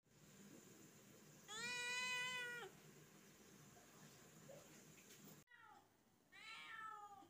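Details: Kitten meowing indoors: one long, steady, high meow with rich stacked harmonics lasting about a second, a quiet pause, then a second shorter meow that bends downward at the start, over a faint room hiss.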